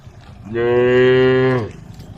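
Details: A group of tame female cows on a road: one gives a single long, steady moo, deep and rich with harmonics, calling to the herd.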